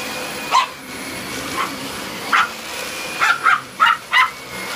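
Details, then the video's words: Jasper, a Maltese dog, barking at a vacuum cleaner: seven sharp, yappy barks, spaced at first and then bunched in quick succession toward the end, over a steady high-pitched machine whine. "Jasper the maltese dog telling the vacuum cleaner who's boss"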